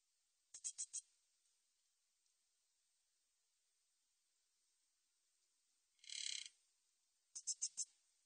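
A katydid gives short bursts of high, dry ticking pulses in quick groups of three or four, with silence between.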